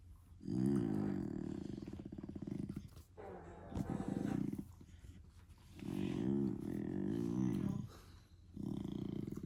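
A German Shepherd puppy gives drawn-out, low growly moans with a rough, pulsing texture, repeated in bursts of two to three seconds. Short gaps separate the runs of grumbling noise.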